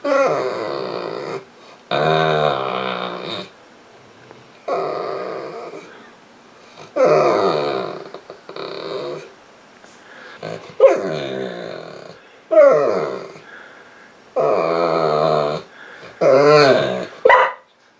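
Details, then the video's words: Female Saint Bernard named Misha, lying on the couch and crying to be petted, sounding much like a baby; long harmonic moaning whines repeated in a steady series of about eight bursts with short pauses between, indoors. "St Bernard Dog Crying for Attention"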